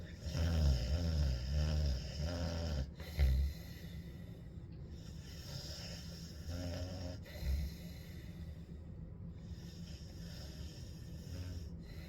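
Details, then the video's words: Ellie, a dog, snores through a hot day, a low rattling rumble heard most strongly in the first three seconds, then softer wheezy breaths return around seven seconds amid faint indoor hum. "Ellie Snoring on a Hot Day"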